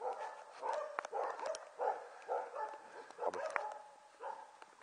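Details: Border Collie puppies about six weeks old, filmed on 5 January 2013, giving a run of short high yips and whimpering barks in quick bursts with brief pauses between them.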